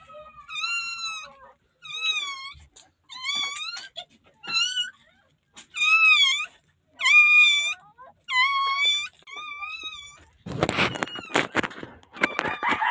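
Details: A newborn puppy cries for help in the Philippines before being rescued: a series of shrill, wavering whines, each about half a second long, coming nearly every second, then a burst of handling noise and rustling at the end.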